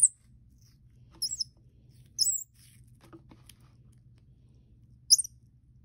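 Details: Baby Common Squirrel Monkey KobiJae, 4 weeks old and kept as a house pet, enjoying his first apple: a few brief piercing squeaks, some in close pairs, amid faint clicks and low hum.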